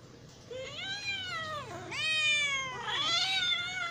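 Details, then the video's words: Domestic cat meowing because it is hungry, three plaintive meows in a row, each swelling then dipping, roughly one per second, growing louder toward the end. "cat sound effects / copyright free / hungry cat sounds"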